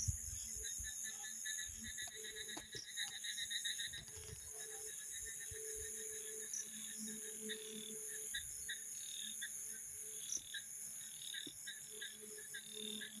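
A night chorus of crickets and other insects, with steady high trills and pulsed chirping trains.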